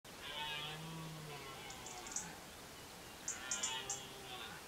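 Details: A red deer stag gives a low, drawn-out rutting bellow during the 2023 rut in Côte d'Or, France, with sharp clicks in the background.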